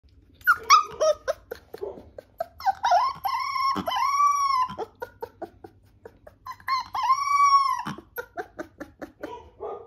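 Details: Labrador Retriever giving drawn-out, wavering howls that rise and fall, two long howls separated by bursts of short whiny yelps and huffs, ending in a run of quick soft puffs.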